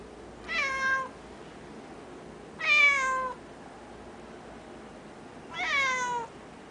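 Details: Japanese cat, described as the noisiest cat ever, giving drawn-out nasal meows that fall slightly in pitch, three calls spaced about two to three seconds apart in a quiet indoor room.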